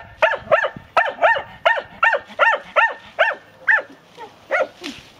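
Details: A Segugio Maremmano hound in training gives a rapid series of ringing, yelping bays, several each second.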